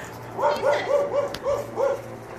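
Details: Dog barking at a passing blimp it chases, six short, yelping barks in quick succession, about four a second at the peak, with a steady low hum beneath.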